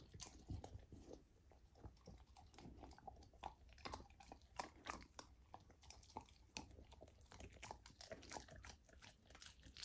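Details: Golden retriever puppy on a raw diet biting into raw lamb for its first taste, indoors; quieter clicking bites and crunchy chewing in quick irregular succession, with a low room rumble.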